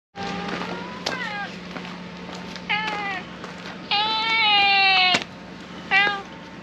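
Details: Stray harbour cat sheltering from the rain on a ferry terminal gangway on a rainy day, giving a series of meows: short downward-bending cries, then a long, drawn-out wail, then a final brief meow, over a steady low hum.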